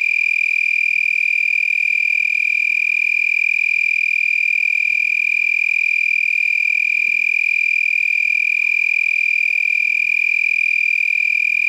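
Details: Several lacewings vibrating their wings at night, around 10 p.m. on 8 November, make a steady, high, rapidly pulsing trill, much like a tree frog.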